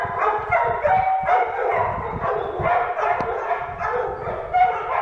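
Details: Repeated, irregular barking from an Irish Wolfhound, bursts coming about every third of a second to half second, each with a layered, tonal ring, over a low background rumble.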